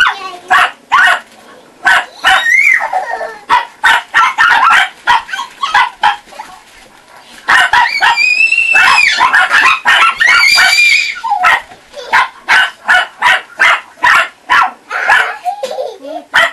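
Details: Chihuahua puppies from a kennel near Saint Petersburg, Russia, with a child: rapid high-pitched yapping, some drawn-out whining yelps mid-clip, barks overlapping in dense runs, a woman's voice faint underneath.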